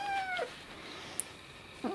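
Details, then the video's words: Young male kitten, newly adopted, vocalizing over a favorite food he guards from others: a short descending meow-like tone with bright harmonics at the start, then near silence and a brief rising chirp at the end. "Kitten eating and making adorable noises"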